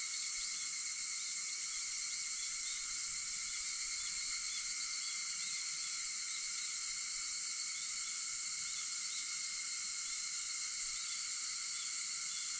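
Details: An early-morning cicada chorus recorded at 4:50 on August 4: an unbroken shrill hiss of layered high tones, with faint short chirps scattered on top.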